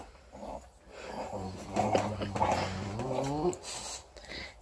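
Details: Four-week-old female English Bulldog puppy playing with her teddy bear, giving a low, voiced growl that rises and holds for about two seconds in the middle of the clip after a quiet start, with faint rustling.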